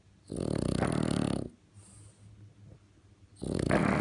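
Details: Snoring French Bulldog, compared to a tractor: a harsh, rumbling, rattling snore of over a second, a soft wheezy exhale, then the next loud snore starting.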